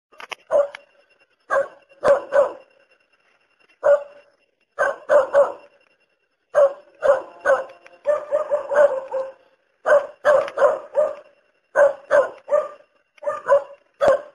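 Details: A dog barks in short, sharp bursts, often in doubles or triples, with brief pauses between groups, about forty barks a minute, with nothing else heard.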